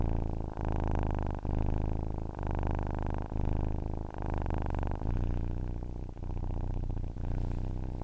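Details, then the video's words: Continuous low purring of a cat, deep buzzing rumble rising and falling with its breathing, each phase lasting about one second, slightly softer and less regular toward the end. "Ronronnement d'un chat pour s'endormir / Purring of a cat to fall asleep"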